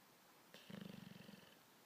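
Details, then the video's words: Bulldog snoring while asleep: a single rattling snore of rapid low pulses, about a dozen throbs in under a second, starting abruptly and fading out, with a faint hiss behind it. "Bulldog snoring"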